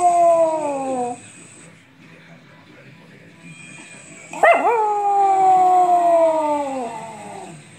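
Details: Small Chihuahua dog howling at the sound of bells: a descending howl fades out, then after a quiet pause a bell strike sets off a second long, drawn-out howl that wavers and slowly falls in pitch.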